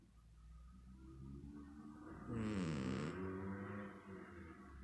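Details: Domestic cat snoring over steady background music, one gravelly, trembling snore swelling for roughly a second before dropping back under the music.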